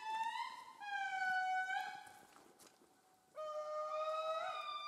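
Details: An indri, Madagascar's largest lemur, sings in Andasibe-Mantadia National Park, long wailing whale-like horn notes that hold steady then slide slightly upward, a call to communicate with others.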